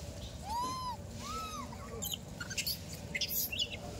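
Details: A monkey being fed voices two drawn-out arching coos that rise and then fall, followed by clicking and rustling noises.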